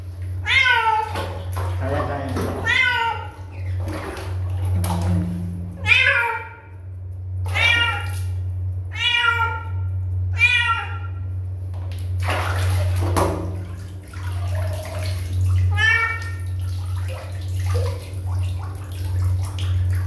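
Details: Kitten meows persistently, a dense run of high, bending cries, some clipped and some drawn out, with human speech in between and a steady low hum throughout.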